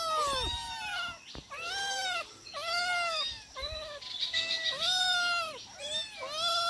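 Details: Domestic cats calling at feeding time with long, clear harmonic meows, each arched and drawn out about half a second, coming in steady succession with brief gaps.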